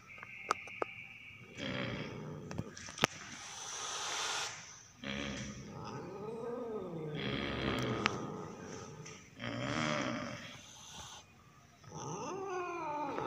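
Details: Orange pet cat, angry while being filmed, possibly driven by the urge to mate: long growling yowls with wavering rising-and-falling tones in several drawn-out bursts separated by short pauses, with a few sharp clicks near the start.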